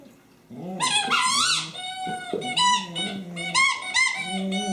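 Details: Honey, a pet dog playing with her favorite squeaky toy, recorded 24 January 2012; high squeaky bursts from the toy mix with short yipping, whining vocal notes in a quick irregular series indoors.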